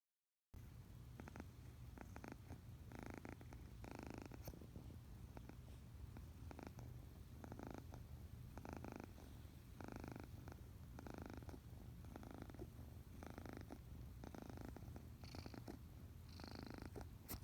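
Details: A kitten purrs steadily, a low rumbling thrum rising and falling with each breath; later the purring gives way to non-stop sneezing.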